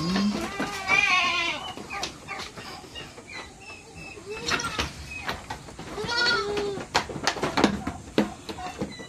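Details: Backyard farm goats in the Philippines bleat in the morning before release, giving short wavering cries, some high and nasal, others lower, amid background music and scattered knocks.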